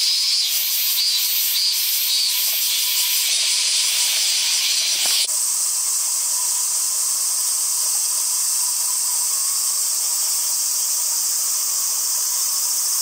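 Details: Late-summer male robust cicada: pulsed, throbbing buzzy phrases for about five seconds, then an abrupt switch to a steady, unbroken high hiss for the rest.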